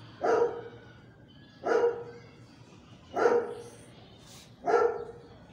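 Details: German Shepherd dog barking four times at roughly one-and-a-half-second intervals, each bark a short, loud, mid-pitched burst; faint background noise between barks.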